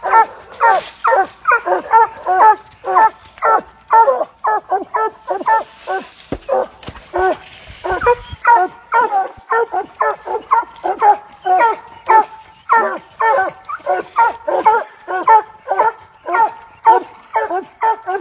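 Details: Pet Treeing Walker Coonhound barking steadily, about two sharp, hoarse barks per second. The run continues without pause for the whole stretch, with a brief soft rustle midway and no other voices.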